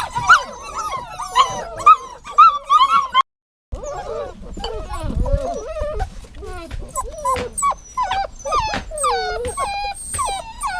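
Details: Whining dog, with bursts of quick, high whimpers, a short break, then longer drawn-out falling whines and thin squeaks that waver in pitch.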